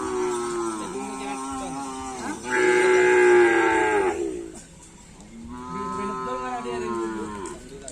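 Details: Cattle at a karapan sapi bull racing practice on the Asemanis field in Pamekasan: several moos with strong harmonic bands, one long loud bellow of about two seconds in the middle, then a softer slightly rising moo.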